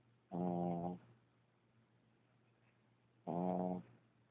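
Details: Puppy asleep and snoring hard enough to wake himself, two loud rasping half-second snores about three seconds apart, steady and buzzy, quiet room between breaths.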